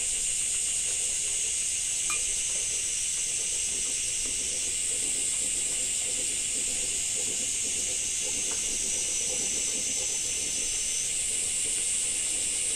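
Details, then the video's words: Cicadas in summer in Japan with rain: a dense, steady, high hissing drone that shifts slightly in pitch, under the soft patter of falling rain. "Japan Rain Sound 5of2 - Cicada 2"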